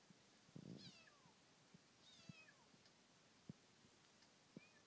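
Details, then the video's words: Kitten met during a trip around Teshima island, giving thin, high, downward-sliding meows about a second apart. They sound faint against a steady background hiss, with scattered sharp clicks and taps. "豊島 子猫 鳴き声"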